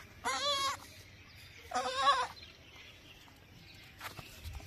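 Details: Baby goat bleating twice, two short, high, quavering cries about a second and a half apart, over faint background hiss and a soft distant noise at the end.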